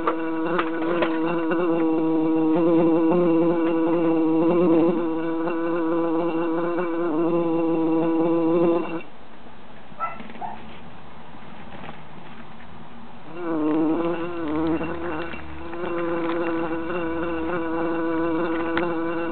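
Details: Three bees trapped in a jar in summer, buzzing loudly: a steady droning hum with layered harmonics, dropping away around the middle before the buzz swells back strongly.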